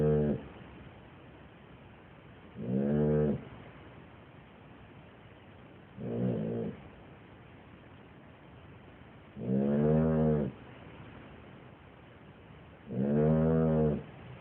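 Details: A dog snoring heavily. Five loud, rasping, harmonic snores come roughly every three to four seconds, each lasting under a second, with quiet breathing between them.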